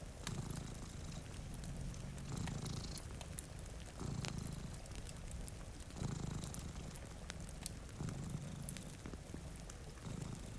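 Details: Cats dozing at a rainy window with a fire crackling close by; a soft, low purr pulses in regular swells about every two seconds, under scattered fire snaps and steady patter of rain.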